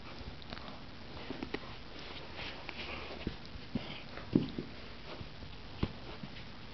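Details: German Shepherd puppy named Hugo, a little over three months old, sniffing in short, soft, irregular bursts of breathy noise, a few slightly louder puffs standing out over a quiet, steady background.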